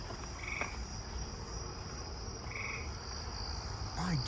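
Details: Wild eastern gray treefrog calling from a backyard, two short musical trills about two seconds apart, over a steady high-pitched insect chorus and a faint rising squeak near the end.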